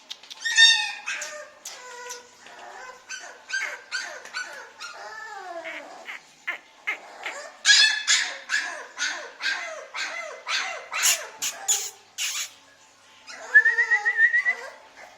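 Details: Puppies offered for sale in India give high-pitched whimpers and short yips. A quick run of sharp, uneven yelps starts around seven seconds, and the sequence ends in a longer, drawn-out whine.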